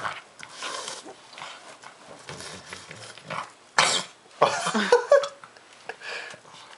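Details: Pug named Milo eating a pumpkin squash indoors, giving a low throaty growl midway, followed by loud snorting and crunching bursts, with quiet human voices in the room.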